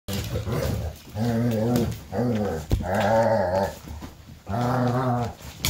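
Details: A golden retriever gives low, rumbling, drawn-out growls under a second each, during an evening with a mother, her puppies and their aunt, where the mother disciplines pups that try to nurse.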